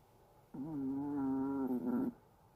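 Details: Sleeping Chihuahua snoring: a single quiet, drawn-out tonal snore of about one and a half seconds, steady and then slightly wavering and falling at the end.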